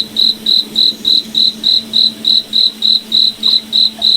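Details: Moonlit forest at night with a cricket chirping steadily, short high pulses roughly every 0.3 seconds, over a faint continuous low hum.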